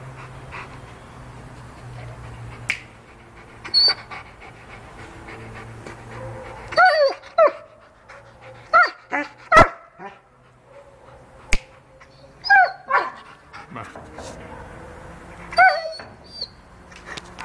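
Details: A Rottweiler, described as furious, gives short, harsh barks in scattered bursts, with softer whines between them.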